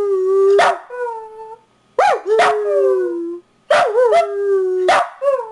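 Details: Domestic dog giving short howls, each opening with a high yip and sliding down into a steady, wavering tone; four bouts separated by brief pauses in an otherwise silent setting.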